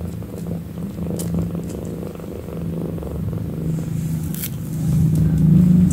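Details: Kitten purring close up, a steady low rumble with fine rapid pulsing that runs throughout, swelling a little louder near the end, with a few brief faint clicks and rustles above it.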